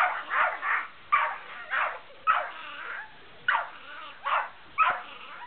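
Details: A large white malamute and a small brown puggle at play, trading loud barking, harsh woofs in a steady run of about seven, each lasting under half a second, with short pauses between.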